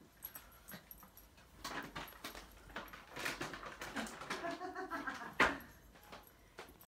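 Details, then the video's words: Excited toy poodles, three of them waiting eagerly for a treat, let out a whining, whimpering voice, strongest midway, alongside scattered clicks, jingles and a sharp knock near the end in a small room. "3 toy poodles can't wait for treat"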